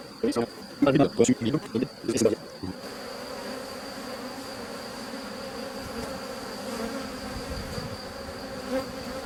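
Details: Honey bee colony, once drone-laying and now rescued, buzzing as hive frames heavy with honey are set aside. Several seconds of loud bursty handling noise give way to an even, low continuous drone with a faint high whine.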